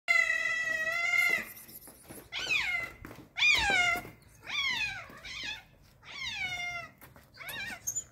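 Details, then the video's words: Hungry, excited stray cat meowing loudly among other hungry strays: a long harmonic wail, then five shorter falling meows, some with a wavering double-peaked shape, spaced about a second apart in a quiet setting. "Excited cat is meowing loudly and he and the other stray cats are very hungry"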